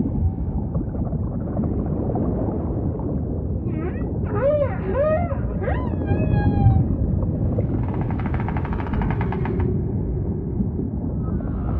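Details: Ocean ambience carrying humpback whale song: a run of short, arched, rising-then-falling units repeated about every half second, a few higher whistled notes, then a rapid pulsed, buzzy rattle lasting around two seconds, all over deep rumble.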